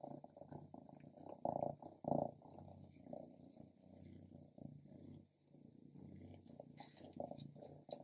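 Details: Stripes, a female pet cat who loves grilled lamb, eats a piece from the grill. A low, steady purring rumble runs throughout, broken by louder bursts of wet chewing near the start and middle.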